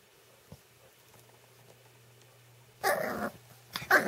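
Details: American Cocker Spaniel puppy, seven weeks old, growls in play while attacking hands indoors: quiet at first, then a loud, gritty growl burst followed by a shorter, sharper growl-yap.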